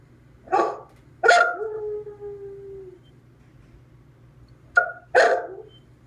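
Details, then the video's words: Dog that hates being alone howling after its owner left the house: a bark, then a long steady tonal howl slowly falling in pitch over about two seconds, later two more short barking yelps. "Clyde Howling"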